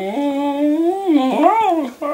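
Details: Longhaired dachshund Milloup begging his owner for food in a room, voicing a long, loud, sing-song whine that slides up and down in pitch, wavers, and breaks briefly before resuming near the end.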